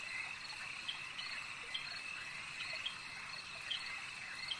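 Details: Frogs at a lake, calling as a dense, steady high-pitched chorus with a constant shrill hum and scattered brighter chirps that stand out every second or so.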